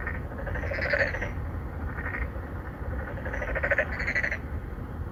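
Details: Narrow-mouthed frogs calling to attract females, three or four at a pond within an apartment complex in Songdo, Incheon, Korea, recorded by Galaxy Note9: loud rasping pulsed croaks, one long call then a rapid run of overlapping calls, with low rumble behind.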